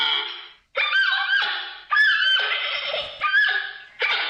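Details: Giant panda giving a run of loud, nasal, bleating calls, five wavering harmonic bursts in just over four seconds with short silent gaps between them. No other sounds are heard.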